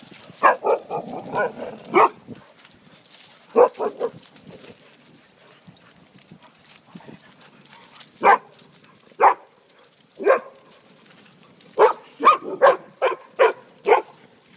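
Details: At a dog park, six-year-old Greater Swiss Mountain Dog Lilo romps with young Husky Snow; repeated loud, harmonic-rich barks come in bursts and singles, with a quick cluster near the end and quiet gaps between.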